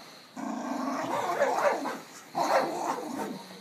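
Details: Male rescue dog, a puppy, growling as it attacks a pillow while family play with it; two rough, rumbling growl bursts, the second starting about two seconds in.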